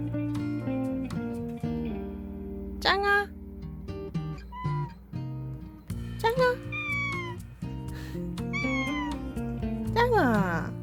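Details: Domestic cat crying insistently like a baby until a door is opened, a habit kept since it was young: a series of rising and falling wailing meows, some long and slurred, repeated every one to two seconds over background music.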